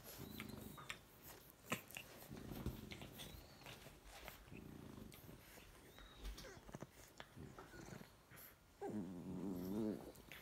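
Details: A chocolate French bulldog puppy and his lilac fawn sister play fight on a couch, grumbling and growling in short, low, rough bursts.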